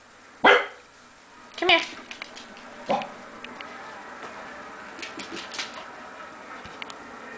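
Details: Corgi 'talking' at home while its owner coaxes it: three sharp single barks roughly a second apart, then quieter rustling and faint clicks.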